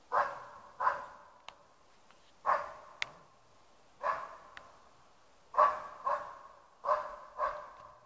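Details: West Siberian Laika bay-barks at a moose cow with her calf to hold them in place: loud, clipped barks, often in pairs, about one burst every second or two.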